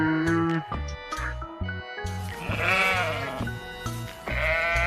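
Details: Quavering sheep bleats rise twice over loud, cheerful background music with plucked notes and a thumping beat, each bleat wavering and lasting about a second.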